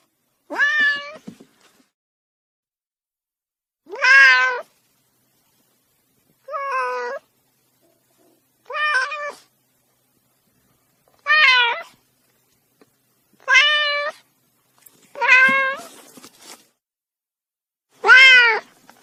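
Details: Kitten meowing in a series of eight separate, clear calls spaced about two seconds apart, each a rich, slightly wavering mew with a bent pitch, set against a silent background.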